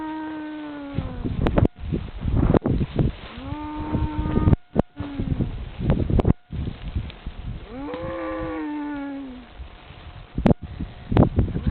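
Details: Cattle in a field somewhere in France, drawn in by a man calling them. Several drawn-out, slightly falling moos are heard, one coming after a pause, with music playing throughout.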